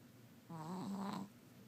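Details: Sleeping Chihuahua dreaming and snoring loudly indoors; one drawn-out, slightly wavering nasal snore lasting under a second.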